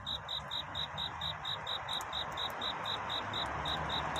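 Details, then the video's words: Cricket's night-time courtship chirping, a song seeking love before dawn: steady high pulses about twice to three times each second, partly masked by a broad hissing wash and low rumble. "귀뚜라미 울음소리. 슬퍼 말아요 우는 것이 아니라 사랑을 찾는 노래랍니다 구애의 밤"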